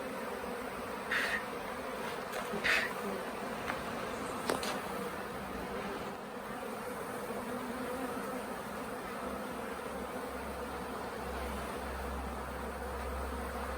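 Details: A late-season honey bee swarm at the Tamarind Tree Hotel during capture into a nuc box: a thick continuous buzz of many bees, with a few sharp knocks and a low rumble toward the end.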